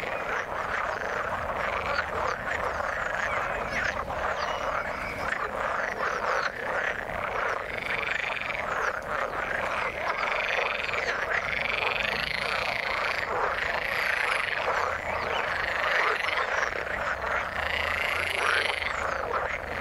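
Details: Frogs calling in the water: a dense, continuous chorus of overlapping croaks and rattling pulses, many callers at once with no pause across the whole stretch.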